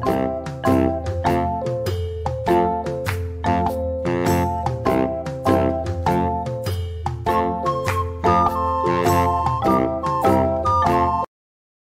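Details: Bright mallet-percussion music plays throughout in a bouncy, steady rhythm, with glockenspiel-like chimes and no animal voices.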